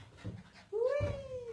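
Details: Female Miniature Pinscher indoors at an office gives one thin, high whine that slides up and then holds steady for under a second, over low background murmur.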